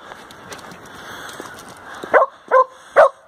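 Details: At a skate park in Nairn, Scotland, a Samoyed standing on a halfpipe lets out three short, evenly spaced barks about half a second apart, following a voice and open-air background noise.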